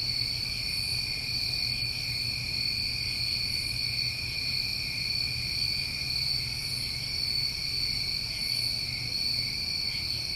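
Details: Crickets of a New England summer night form a dense, unbroken chorus of steady high trilling in several stacked pitches, with faint pulsing accents near the top and a low rumbling hum underneath.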